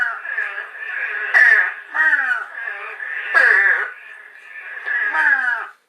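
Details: Eastern spadefoot toad, rarely met on Long Island, with four rough, descending, nasal notes resembling a young crow's caw, spaced about one to two seconds apart above a continuous high-pitched frog chorus.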